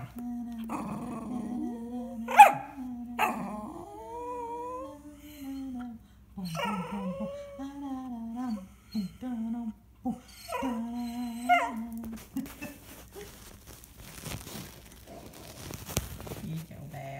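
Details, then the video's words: Small Jackshund, a Jack Russell and dachshund cross kept as a pet, singing along: drawn-out wavering howls that rise and fall, broken by short yelps, then fading into rustling and handling noise in the last seconds. "Singing Steve"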